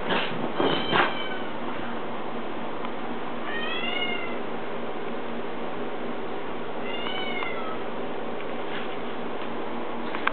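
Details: An Italian Greyhound drying off after a bath gives a few high, thin whines that arch up and fall away.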